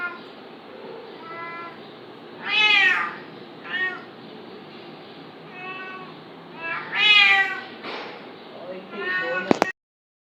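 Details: Cat fighting a kitten: a string of meows of varied length, the loudest drawn-out and wavering near 3 and 7 seconds, shorter softer mews between, ending with a sharp click.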